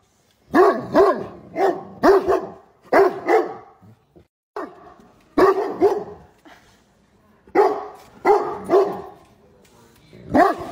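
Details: A pet Great Dane talking to his owner with howling barks: deep, rough barks mostly in doubles and triples, a steady run for four seconds, a pause with faint sounds, then further paired barks.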